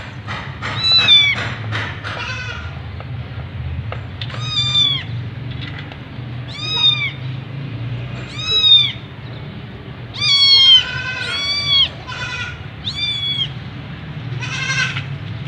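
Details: White Persian kitten being given a shower, meowing in short rising-and-falling cries, about ten across fifteen seconds, some doubled, over a steady hiss of running water.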